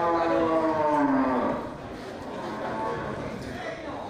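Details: A big local bull or cow at the Geurugok animal market, late March 2022 before Ramadan, lets out a loud moo about one and a half seconds long that slides downward. Quieter market noise and distant voices follow.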